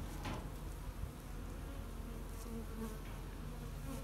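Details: Honey bees in a beekeeper's yard in Western Canada on July 20, 2021, cranky and agitated under heavy wildfire smoke; a steady low droning hum of many bees with layered harmonic tones, continuous throughout, with faint higher buzzing passes.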